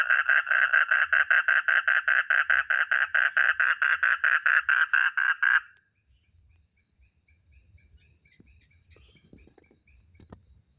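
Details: Frog or toad, called katak or kodok, giving a rapid train of rasping croaks, about two per second, for roughly five seconds before stopping abruptly, leaving only faint background hum.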